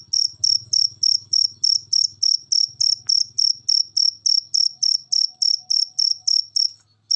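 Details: Cricket recording used as masteran to encourage pet birds to sing: shrill, rapid pulsed chirps at an even pace of roughly three per second over a faint low hum in the first half.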